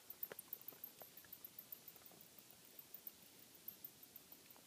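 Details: Bats in a house attic during a noise inspection. Faint, high twittering squeaks come with scattered soft ticks and light pattering at an irregular pace, roughly one to two per second, over a hushed indoor background.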